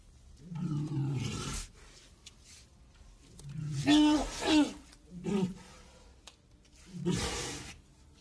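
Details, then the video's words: Deep walrus bellows, four drawn-out roaring calls spaced a few seconds apart, each starting low and growling, some ending in a breathy, hissing blast. "walrus sounds"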